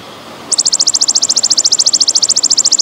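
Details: Belalang emas, golden grasshopper, in its pausing style: half a second of quiet, then a sudden shrill rattling trill of rapid even pulses, about twelve per second, continuing to the end.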